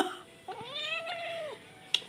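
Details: A kitten, described as unwilling and fearful while being filmed, gives one drawn-out meow of about a second that rises, holds, then falls away, with a faint click afterwards.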